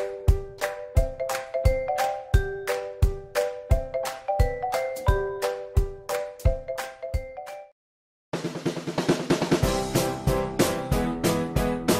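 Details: Steady snare and bass drum beats with bright tonal notes play for about eight seconds, then a brief silence gives way to fuller, denser music with no animal voice.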